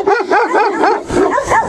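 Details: Female Turkmen Alabai, a Central Asian Shepherd Dog, during a territorial guarding test: rapid, continuous harmonic barks and yips, arching up and down in pitch, about five per second with little pause between them.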